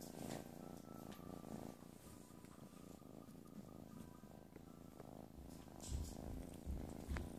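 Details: Playful kitten purring close up, a deep, even, throbbing rumble sustained for the whole stretch, with faint thumps and rustles late on.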